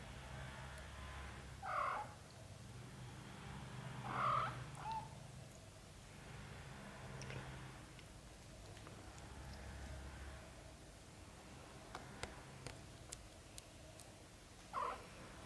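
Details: British Shorthair kittens cared for by their mother cat, a black golden family, give three short high mews, two close together near the start and one at the end, with long quiet gaps and a faint low hum between.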